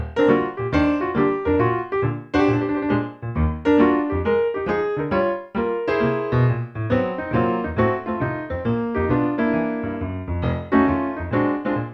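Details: Lively piano music with repeated bright notes and chords plays throughout, and no animal is heard.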